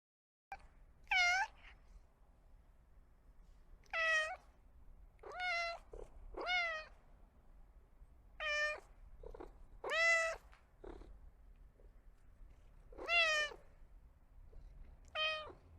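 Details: Kitten meowing in a quiet setting, about nine separate meows spread over sixteen seconds, each a short tonal cry that rises then falls, with a faint low hum underneath.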